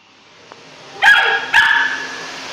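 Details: Three-month-old Rough Collie puppy barking at a vacuum cleaner it hates: two sharp, high yapping barks about half a second apart over the steady whine and hum of the running vacuum.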